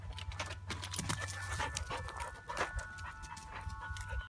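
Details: A female German Shorthaired Pointer pants in quick, breathy bursts over a low rumble of handling noise while jumping up a tree after a cat and its food.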